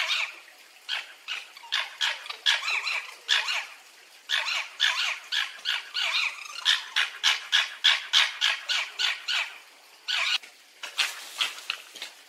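A fox gives a fast run of sharp, hoarse barks, about three every second.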